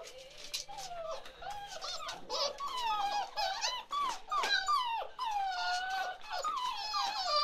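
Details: Chocolate Labrador Retriever puppies, 47 days old, from Ruby's litter, whine in a busy overlapping chorus: high, bending squeals falling and rising, many voices at once, a continuous whimpering indoors with a faint low hum.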